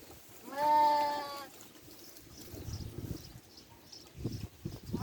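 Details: Sheep on a farm while eating: one loud, wavering, nasal bleat lasting about a second, followed by quiet crunching and rustling sounds of feeding.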